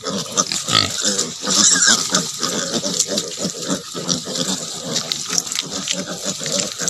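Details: Native pig sow with piglets on a farm where mothering is allowed to develop naturally; rapid, irregular grunting around three or four per second, steady and busy throughout, with occasional sharper squeaks.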